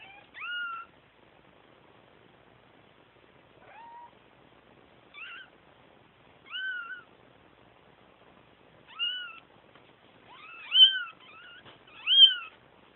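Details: Kittens calling for their mama with short, thin, rising-falling meows. The meows come irregularly, some faint and some louder, and bunch together in quick pairs near the end, against otherwise quiet surroundings.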